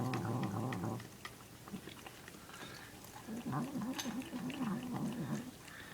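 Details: Male domestic cat eating his food while making odd noises; low, rapidly wavering growl-like murmurs over steady chewing and crunching.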